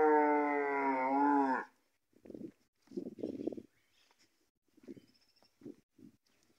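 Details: Gyr cattle in the countryside of Morazán, El Salvador, where three bulls are for sale: a strong, steady moo of about one and a half seconds, followed by scattered low, muffled thumps and rustles.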